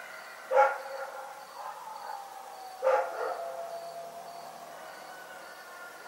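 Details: Night barking from the dog Rex: two single sharp barks about two seconds apart, each short and bright. A faint, evenly pulsed high tone runs through the dark background.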